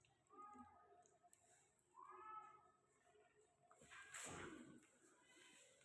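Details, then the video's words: Persian kitten playing indoors gives short, high, harmonic meows near the start and again around two seconds, one rising slightly. A sharp broadband clatter of play follows near four seconds over a quiet room background. "Persian kitten playing"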